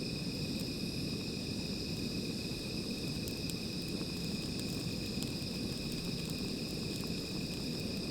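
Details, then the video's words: Insects calling at night beside a small fire: steady, continuous high trilling in two bright bands, with a dense low crackling rumble from the fire underneath and occasional sharp pops. "Sound of Insects"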